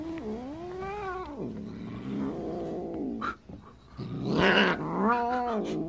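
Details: A female Siamese cat, kept since kittenhood in 2011, gives drawn-out wavering yowls and a sharp, breathy hiss at home in hostility toward a 3-year-old orange rescue cat she dislikes.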